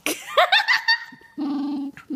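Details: A camera-shy dog gives strange, wavering, groaning yowls with rising and falling pitch, likened to a cross between ET and a Wookiee, then a low steady hum.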